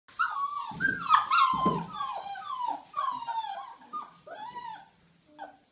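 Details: Belgian Malinois puppies, Rea and her brothers and sisters, at play: a busy tumble of overlapping high, falling whines and short yelps, some rising then sliding down, a few low scuffling thumps underneath.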